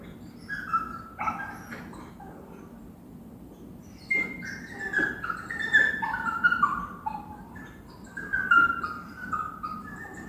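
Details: Whining and whimpering from a dog or puppy, with quiet pauses broken by a run of high, quavering cries that rise sharply then droop, some overlapping, above steady low room noise.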